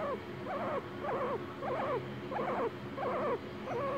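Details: A pet guinea pig makes a run of short, wavering squeaky calls, repeated steadily, while the owner asks whether it is talking.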